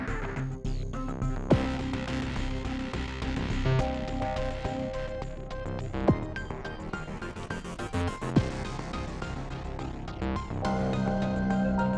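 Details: Only instrumental background music with percussive hits plays, and no animal is heard.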